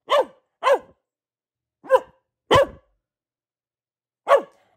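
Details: A female Boxer gives short, sharp barks at uneven intervals, six in all, each a quick rise-and-fall with bright overtones, separated by silent gaps of up to two seconds.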